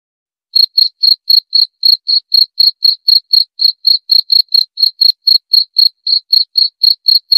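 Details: Cricket begins chirping after half a second of silence, then keeps up a regular stream of bright, high, short chirps around four per second against total quiet.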